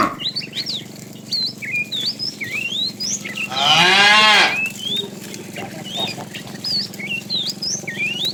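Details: A herd of tame cows roams in the morning looking for food; one full moo about a second long sounds mid-way, surrounded by constant bright, twittering bird calls.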